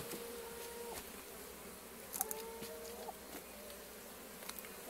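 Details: Honey bee foragers carrying willow pollen in March, late morning; individual bees zip past with clear steady-pitched buzzes that come and go over a softer background hum, with a few sharp clicks and taps.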